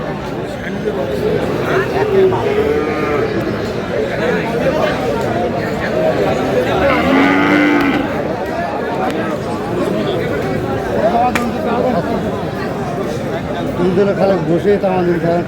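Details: At a busy cattle market in Cumilla, Bangladesh, a young Sahiwal bull lets out a single deep, slightly wavering moo about halfway through. Men talk and haggle loudly all around.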